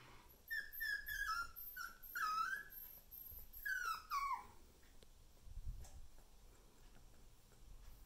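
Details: Female salt-and-pepper Miniature Schnauzer puppy, born 24 September 2020 and filmed 10 November, gives a run of high, thin whimpers that slide downward, about six in four seconds, then falls quiet apart from a soft low thump.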